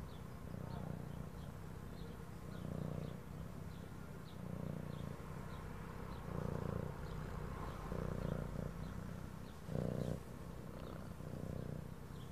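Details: Purring cat, a soft low rumble swelling and fading in slow breathing cycles about every one to two seconds, under faint background music with light regular ticks.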